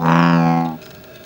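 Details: A male American bullfrog, defending territory, gives a single deep, droning note, like a low bowed horn, lasting under a second.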